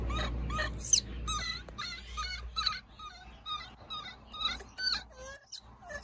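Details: Two baby monkeys crying at an animal market: thin, high, wavering cries and sharp squeals come in short, uneven bursts, sometimes several a second, over a low rumbling background noise at the start.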